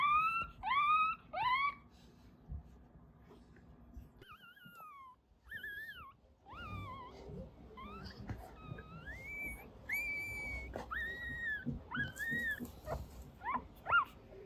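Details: Crying of newborn Mame Shiba puppies in a dream, at a breeding home in Isa, Kagoshima Prefecture, Japan: three quick rising-and-falling whines, a hush, then a run of wavering, wailing whimpers of varied pitch in a small indoor space.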